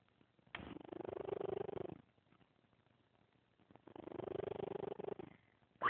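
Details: Loud sleeping snores from Scamper, an elderly 14-year-old grumpy cat: two drawn-out, buzzy, purr-like breaths of about one and a half seconds each, separated by a quiet gap, with a brief click at the end.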